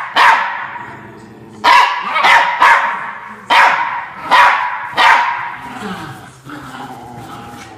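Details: Norfolk Terrier, a pet dog, defending his bean bag chair indoors: loud sharp barks in quick bursts, about six over eight seconds, with a lower growling rumble between them.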